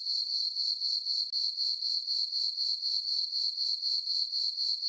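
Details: Crickets chirping on a farm meadow on a summer night under a full moon, a steady high trilling pulsed about four times per second, continuous and regular with no other sounds.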